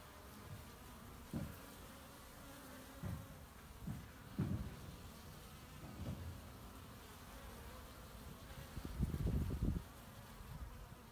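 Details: Honey bees collecting pollen, recorded 18 March 2018: low droning buzz with several louder passes of bees flying close, strongest near the end, over steady background hum.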